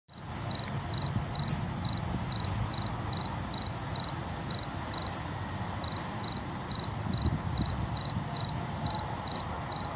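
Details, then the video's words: An unseen field cricket among wildflowers chirps steadily, short high trilled pulses repeating over low background rumble of car traffic and wind; a bird call is also heard. "Tücsök Ciripel és Vadvirágok/ Field Cricket Chirping and Wildflowers"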